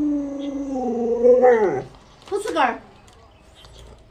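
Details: A pet Alaskan Malamute gives a drawn-out whining howl that holds steady and then slides downward over nearly two seconds. A short, rough, falling yelp follows, then quiet.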